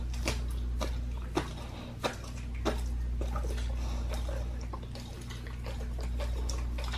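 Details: Raw-fed pit bull gnawing on a raw lamb leg; sharp bony cracks stand out every second or so among quieter wet smacking and licking, all above a constant low room hum.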